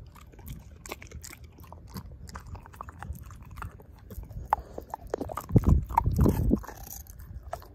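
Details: A dog, Ozzie, chomps through a pork steak, mashing the bone; quiet rhythmic gnawing builds to a louder burst of heavy crunching and grinding about two-thirds through.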